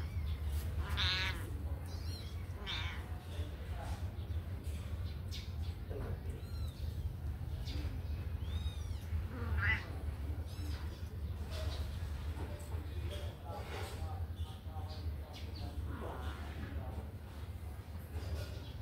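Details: Kittens just let out of their cage to run and play, giving scattered short high meows and squeaks over a steady low hum, with voices and handling noise in the background.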